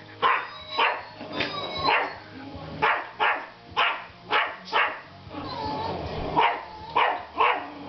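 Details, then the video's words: Baxter, a toy Yorkshire Terrier, barks at a robotic dog during their first meeting. High, clipped yaps repeat roughly once a second with uneven spacing. Faint background noise and thin whistly tones run underneath. "The Baxter Bark and Sniff"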